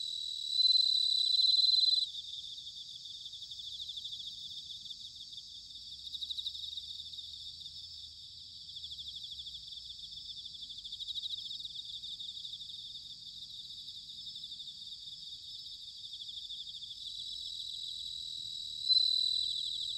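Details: Bell crickets singing in autumn, recorded in Sanuki, Chiba, Japan, with a ZOOM H6 or TASCAM DR-05X: a dense high ringing chorus of trills, with a louder clear ringing bell-like note at the start and end.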